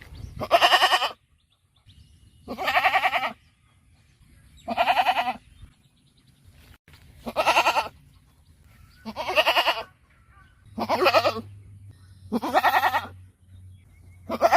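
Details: Goat in a rural farm setting bleating repeatedly, about one harsh, vibrating bleat every two seconds, seven in all, with a faint low hum in the gaps.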